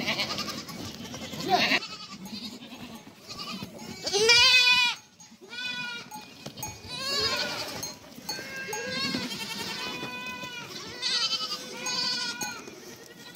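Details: Young goat kids at a meeting, bleating: several overlapping wavering, nasal calls, some long and quavering, others short, follow each other every few seconds with brief quieter gaps.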